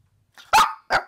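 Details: Maltese dogs indoors on a bed, from a household of three: a male, a female and their daughter born in August 2018; two short sharp barks, the first louder and longer, separated by a brief pause.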